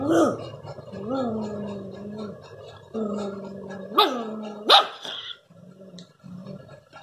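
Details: A Rottweiler puppy showing inborn aggression growls in long, gravelly rumbles broken by two sharp, rising yelping snarls.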